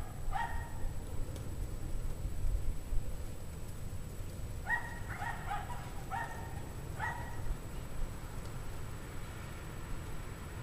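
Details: Distant pack of dogs barking on a cold January 9, 2009 evening at 5 PM, 17 degrees Fahrenheit, cause unknown; short harmonic barks in a burst near the start, then a cluster of repeated barks midway over steady low rumble.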